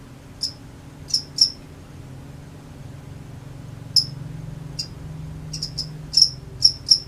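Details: Crickets at night giving sparse, scattered high chirps, singly and in small clusters, over a noticeable low rumbling background.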